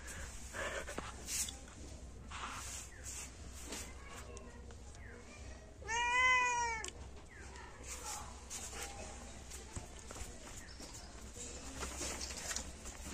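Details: One-month-old kitten, one of two sibling kittens living in a yard, gives a single clear rising-then-falling meow midway through long stretches of quiet outdoor background rustle and faint hiss.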